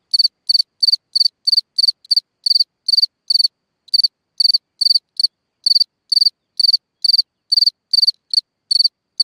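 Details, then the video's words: Cricket singing at night from a hole in the ground: a steady run of bright, high chirps, each a short buzzy pulse, repeated about two to three times a second with brief pauses, nothing else audible. "a singing Cricket (Chirping sounds, Hole in the ground, Night Ambient Sounds)"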